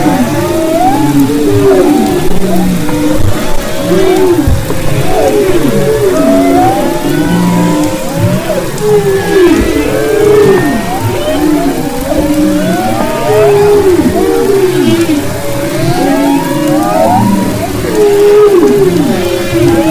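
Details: Chorus of humpback whales singing off Maui's west coast in February 2011: many quick upswept and downswept tonal cries and moans, densely overlapping and repeating in phrases, over continuous low ocean noise.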